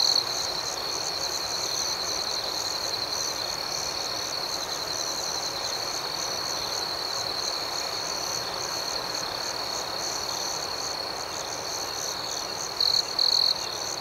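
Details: Crickets chirping through the night in a steady, even high-pitched drone with a faint pulsing beat above it, briefly swelling louder near the end.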